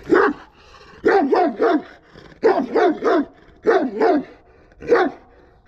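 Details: Aggressive Kangal dog barking in bursts of two or three deep, harsh barks, with short pauses between groups, nine barks over about six seconds.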